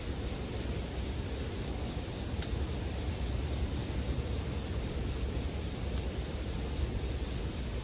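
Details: Continuous high-pitched ringing of bell crickets, even and unwavering, with one brief sharp click partway through and a faint low crackle like burning wood underneath.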